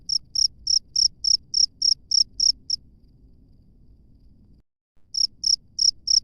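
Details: Wild cricket calling with shrill, evenly spaced chirps about three per second, then stopping for around two seconds before starting again with the same high, ringing pulses.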